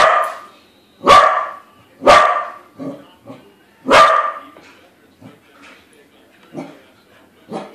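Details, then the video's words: Family corgi confronting a corgi balloon, barking in bursts: three loud sharp barks roughly a second apart, then a fourth, followed by quieter scattered woofs and huffs. "Corgis balloon corgi friend!"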